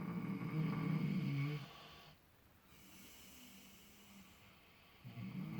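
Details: Clutch and Penelope, miniature potbellied pigs dozing in fresh straw while dreaming, give low buzzing snores: one long rasp, a hushed gap of a few seconds, then another snore starting.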